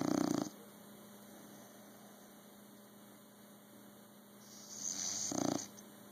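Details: Snoring bulldog: a short rattling snore at the start, then quiet breathing, a faint airy exhale and a second brief, gritty snort about five seconds later, all over a constant low hum.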